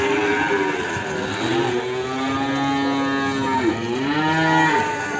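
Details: Limousin cattle, a calf from Ambarketawang, Sleman, recorded in the morning: long, drawn-out lowing moos. Several calls overlap and bend in pitch, over steady background chatter and crowd noise.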